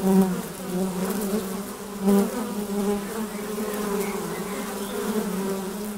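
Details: Busy honey bees flying at their hive entrance, a steady humming drone with brief louder buzzes from bees passing near.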